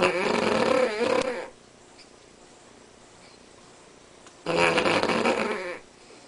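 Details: Snoring dog Spanky, a Cavalier King Charles Spaniel, sleeping: a long rough exhale ends, then after three quiet seconds another gravelly, throaty snore of about 1.3 seconds.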